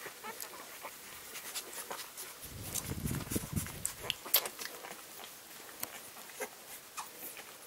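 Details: Litter of English springer spaniel puppies, eleven days old, gives a low grunting murmur near the middle, set among scattered sharp clicks and soft rustling throughout.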